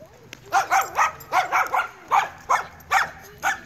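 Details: A seven-month-old Weimaraner dog in training barks in a steady run, about eight sharp, rough barks in under four seconds, each rising then dropping in pitch, spaced roughly half a second apart, with little other sound.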